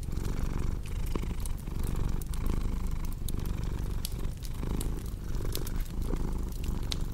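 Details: Continuous low, throaty cat purr that swells and dips in breath-length waves, with a crackling fireplace popping and snapping throughout, set up as calming ambience for deep sleep.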